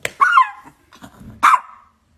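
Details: Chihuahua from a funny dog compilation giving two sharp, high yappy barks about a second apart, with a short quieter sound between them and no other noise.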